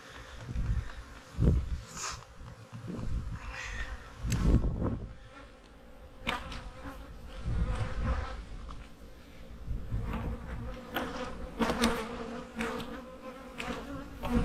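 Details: Autumn honey bee hives being readied for winter: a constant humming drone under repeated thumps and rattles of equipment being moved.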